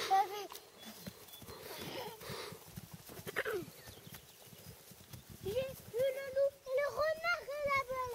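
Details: Azad, a two-day-old Shagya foal with a left hind leg problem: French speech and brief noises at first, then a run of high, quavering, harmonic whinnies over the last three seconds.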